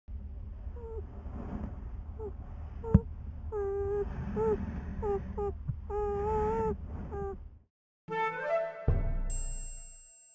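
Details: A beaver inside its lodge in 2014 gives short, nasal whining calls, repeated in bursts over a low muffled rumble.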